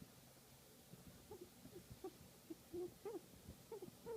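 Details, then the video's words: Guinea pig enjoying a massage, giving soft, irregular chirping squeaks, short low notes that build into louder arched whistles toward the end, with faint background hum in a quiet room. "Guinea Pig Enjoying a Massage and Making Cute Sound"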